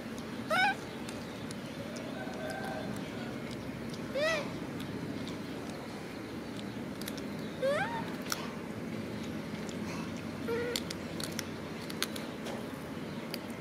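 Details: Macaque monkey crying while hugging his favourite food package: four short, rising, whistle-like cries with bright overtones, spaced a few seconds apart over a steady hiss and low hum of background noise.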